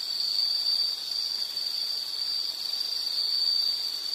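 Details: A single high, shrill insect note drones on without a break, its loudness wavering only slightly over a soft hiss of background noise.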